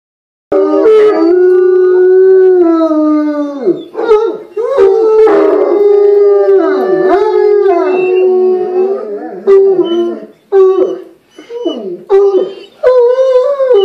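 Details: Four pet bloodhounds howl together in a group chorus, as they often do for no reason. Long wavering voices overlap, slide and break, with breaks and short yelps toward the end.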